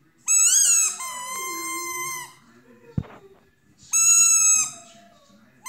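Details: Dog howling along, high sustained whistle-like tones with rich overtones, a long wavering note bending down, then a brief click and a second sharp high note; faint low background sound underneath.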